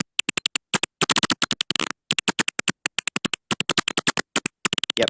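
Little brown bat echolocation, rendered audible as a very fast run of dry, broadband clicks.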